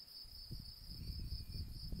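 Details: Crickets outdoors in the mountains on a sunny day. A steady high continuous trill runs throughout over heavy low rumbling noise, with water and bees nearby.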